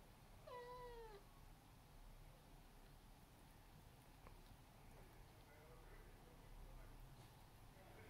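An Abyssinian cat lets out a single clear meow that slides down in pitch and lasts under a second. A fainter, softer call follows later against a low background rumble.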